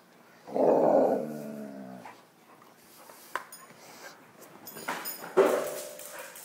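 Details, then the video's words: A female dog in a loft roars while chasing and fetching her toy: one loud, drawn-out, harmonic vocal lasting about a second and a half, then clicks and thumps of play and a short, rougher vocal burst near the end. "Dog fetches and roars in my loft"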